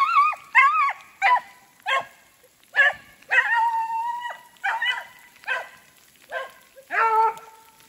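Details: Beagles Koblers Running Whiskey River (Rio) and his sister Ripley bay while chasing a snowshoe hare through woods in fresh snow, sleet turning to rain; about ten loud, bawling howls come in quick succession, some drawn out, each with rising and falling harmonics.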